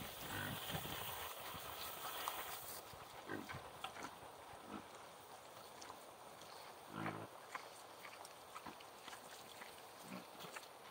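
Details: Kunekune boars outdoors eating their afternoon grain, giving short, low grunts now and then, a few seconds apart, against steady wind noise.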